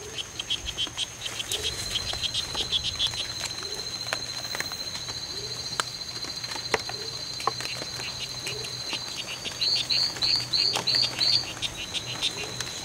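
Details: Two male strawberry poison-dart frogs fighting in the C.R.A.R.C. reserve on September 10, 2012, in a fight that lasted from 11:00am to 4:00pm; a faint run of short buzzy pulses gives way to louder, sharper chirps near the end, over a steady high hum.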